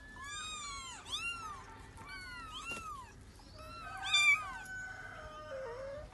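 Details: A cat with her kittens, said to be weeping while looking for her young; a quick series of high, arched mews from several overlapping voices, each rising then falling, some thin and squeaky, with no other clear sounds.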